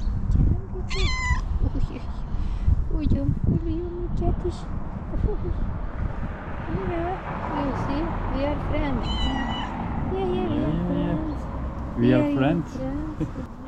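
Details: A female tuxedo cat in a hospital garden in the morning gives several high-pitched, drawn-out meows in greeting, wanting to sit on a lap, while a woman talks softly nearby.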